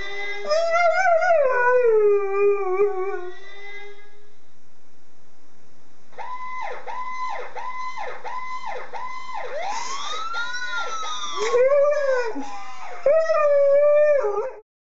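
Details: Jagger, an American Staffordshire Terrier, opens with a wobbling, descending siren-like howl for about three seconds; after a pause, loud electronic sirens take over with rapid yelping sweeps and long wails, and the dog's voice returns faintly near the end.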